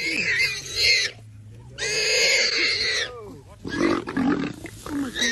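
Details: Common warthog in Kruger National Park screaming as a leopard tries to kill it, the screams drawing male lions nearby; harsh, harmonic-rich screams in three bursts of roughly a second each, with excited human speech over them.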